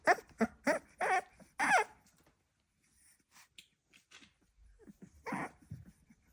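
A Staffordshire Bull Terrier puppy gives a quick string of high, yappy barks, then softer grunts and squeaks.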